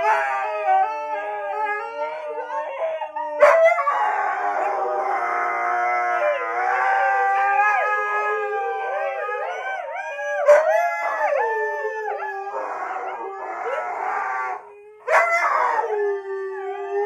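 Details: Husky howling after being set off by a simple laugh: long wavering howls that rise and fall, with several layered harmonic tones and brief pauses or sharp breaks near the start, middle and end.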